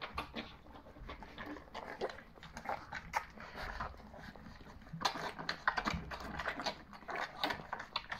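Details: A litter of three-week-old puppies, born to Charlotte and Keep Cool, giving faint squeaks and grunts mixed with dense snuffling and shuffling. A louder burst of activity comes in the second half.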